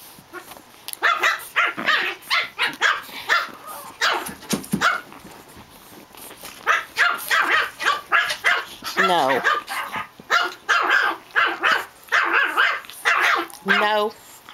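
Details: Japanese Chin puppies Hestia, Asti, Fizzie and a baby girl at play, letting out quick yappy barks and squeals in dense bursts, with a rising whine near the middle and a high yelp at the end; a person keeps saying no.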